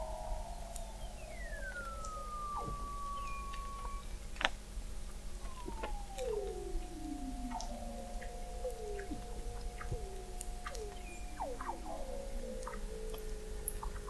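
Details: Weddell seals under the sea ice of McMurdo Sound, Antarctica, recorded in November 2017 by an observatory 21 m down; repeated downward-sliding whistles that level into steady tones overlap one another, with scattered clicks and a low constant hum.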